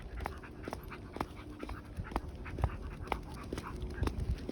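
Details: Shiba Inu dog bathing in water during summer, panting in quick breathy bursts roughly twice a second, irregular in rhythm, over a steady low rumble.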